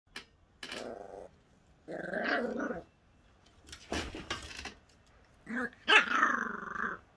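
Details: Jack Russell terrier puppy barking: short, high yappy barks and longer rough, growly yelps in separate bursts with brief quiet gaps between them, ending in a loud strained squealing bark.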